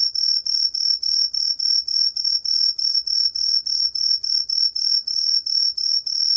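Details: Tree cricket Truljalia hibinonis singing, from a 2020 National Institute of Biological Resources recording: a clear, high, bell-like chirp pulsed rhythmically about three times per second, evenly spaced and unbroken throughout, with a quiet background.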